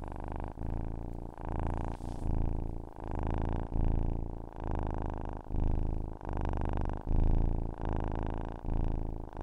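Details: Purring cat, a deep continuous rumble pulsing in regular breath cycles about every three quarters of a second, each swell loud and even, with short dips between them.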